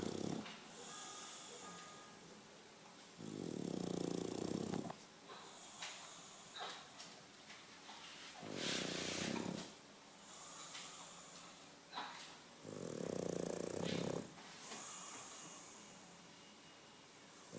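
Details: English Bulldog snoring: long, rough, rasping breaths roughly every four to five seconds, each lasting about a second and a half, with quieter breathing in between.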